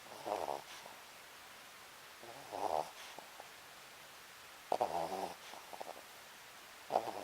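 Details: Pet Papillon Sakura asleep, snoring in a small room; buzzy, rattling breaths in four uneven bursts, some with short clicky flutters, separated by quiet pauses.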